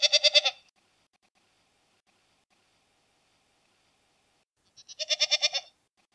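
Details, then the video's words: Two goat bleats, one at the start and one near the end, with about four seconds of silence between them. Both have a rapid, trembling, stuttered quality. "Ziegen Geräusch - Geräusche von Ziegen"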